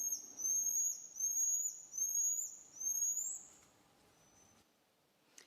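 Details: A common marmoset gives long, high, whistled phee calls in a string of drawn-out, slightly wavering notes; another far-off marmoset answers after each call ends, a vocal exchange used when they cannot see each other.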